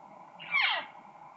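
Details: An excited cow elk gives one intense, high-pitched call that starts sharp and squealing, then sweeps down into a lower, nasal tail. She is urgently searching for her missing calf, possibly separated across a road, over a faint steady hum.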